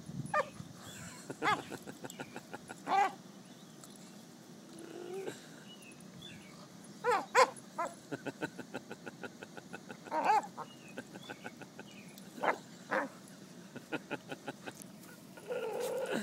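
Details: Pet dog making odd, squeaky vocal sounds its owner calls monkey sounds, indoors; brief high creaky whines and yips come in scattered bursts between stretches of quiet, with a person talking.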